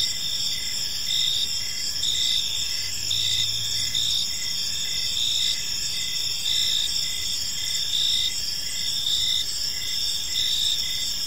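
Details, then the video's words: Evening park chorus of crickets: continuous high-pitched trills layered with short pulsed chirps about once a second, a brief low hum near the middle, and constant faint background rumble. "Park Serenade: Cricket Sounds in a Peaceful Park | Evening Ambience"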